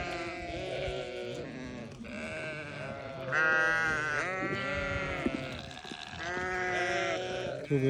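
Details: Newborn lambs bleating on a farm, several overlapping harmonic, wavering bleats, some long and rising then falling, with a person speaking nearby as the animals come for corn.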